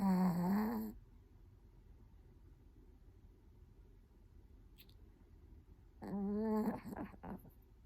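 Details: Latte, a newly adopted Chihuahua from a Kaohsiung pet expo, filmed close up while asleep on his twenty-sixth day home; a squeaky, whistling nasal snore rises and falls at the start and again near the end, with soft low breathing between.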